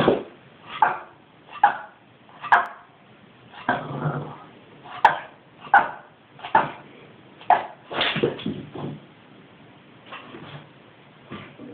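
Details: A 5-month-old Boston Terrier gives sharp, repeated barks and yips in frustrated bursts, roughly one per second, at its ball stuck in its basket, which seems to scare it.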